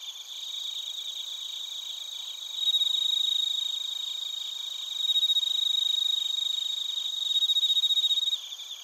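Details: Crickets, including bell crickets, in Narita, Chiba, Japan, captured with a TASCAM Portacapture X8: a high trilling chorus swells into louder pulsing bursts about every two to three seconds above a steady ringing insect background.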